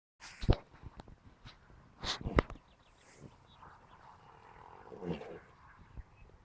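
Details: An Ardennes horse asleep in the early morning hours snores, giving low rumbling, breathy bursts, with stronger snorts near the start and a softer rasp toward the end, against a quiet background.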